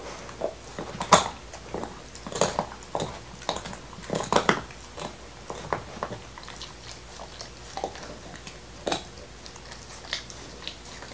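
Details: A black Lab named Nixon chewing a beef bone, his favorite, in 2019. Crisp cracks and crunches come roughly every half second to second, some louder bites standing out, against a hushed indoor background, no voices.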